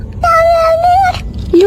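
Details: Domestic cat in a funny pet compilation giving a long, steady meow lasting almost a second, slightly rising at the end, then a short, higher second meow; a person's voice is heard nearby.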